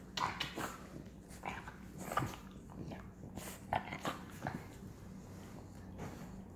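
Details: A five-month-old English Bulldog puppy makes short snorting grunts and low growls indoors over a steady hum.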